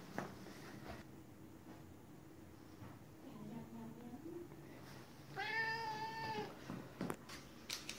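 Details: Indoors, a Siberian cat asks for a 'chocolate' stick with a soft meow. One steady, harmonic-rich meow lasts about a second after quiet room noise and faint murmuring, then light taps.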